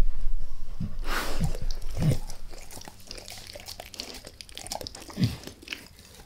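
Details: Max the dog gnawing a beef rib, going at it lightly at first and then all in, with no talking: sharp crunching bites and wet chewing clicks, a few louder snaps standing out over a low background rumble.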